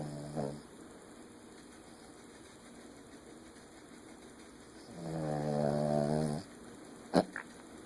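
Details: Butters the pet dog asleep and snoring: a faint short snort near the start, then one long harmonic rasping snore about a second and a half long, followed by a sharp click.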